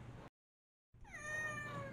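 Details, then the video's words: Domestic cat, one of a group of abandoned cats living in a basement during winter, gives a clear rising-then-falling meow after a brief silence, with low steady background hum. "Abandoned Cats"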